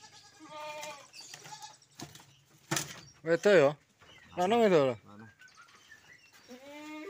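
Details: Unusual goats in a collector's pen give two loud, quavering bleats in the middle, each wavering up and down, amid surrounding speech and music-like tones.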